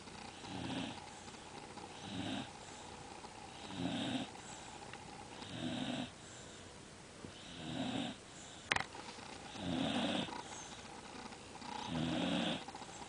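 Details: Buddy, a pet dog, snoring through a deep nap after a morning of opening Christmas presents; rough breathy snores repeat about every two seconds in a quiet room, with one sharp click near the middle.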